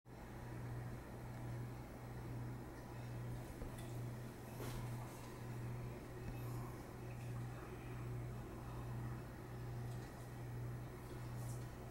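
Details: A steady low mechanical hum with faint rhythmic pulsing, like a fan or engine, and no animal calls.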